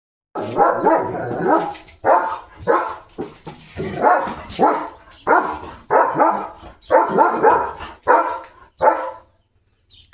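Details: Leo, a German Shepherd at home, reacting to a tractor passing in front of the house: a run of about a dozen loud, harsh barks in uneven bursts with short gaps, ending in silence.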